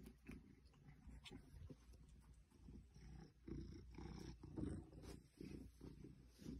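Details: An 8-year-old female Maine Coon purrs steadily while enjoying the fake plants in a room, a low continuous rumble swelling and fading with each breath.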